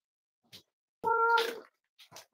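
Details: Cavalier King Charles Spaniel puppies almost eight weeks old at a family home: one clear, tonal, slightly nasal whine of about half a second, with brief soft rustles and clicks before and after.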